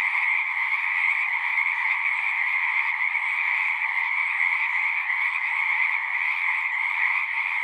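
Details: Singing frogs in a thick, steady chorus, countless trilled calls blending into a constant shimmering drone at two pitches, gently pulsing in strength.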